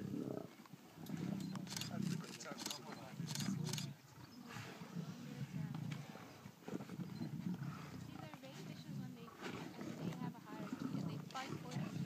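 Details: Lions eating a baby buffalo, deep low rumbling growls running almost continuously, with a man talking quietly over them outdoors.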